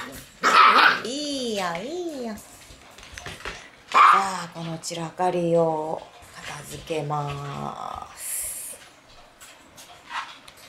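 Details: Puppies in a messy puppy room on the night of October 9. A wavering, rising and falling howl is followed by several drawn-out, growly, harmonic whines, with sharp yelps and knocking noises between them.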